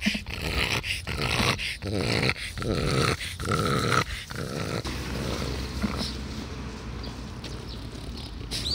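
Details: Taro, a 12-year-old French Bulldog, recorded on 16 July 2016. Rough, growly grunting comes in separate bursts with short pauses for about five seconds, then fades into softer, steady breathing noise.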